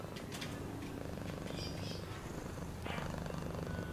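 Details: Cat purring in a deep, even rumble of quick pulses, a brief soft rustle breaking in near the end.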